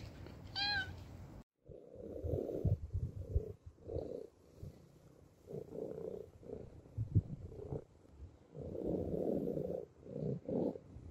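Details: A single clear, bending meow from a homeless street cat, then a series of soft low rumbling, purr-like bursts and handling noises close by.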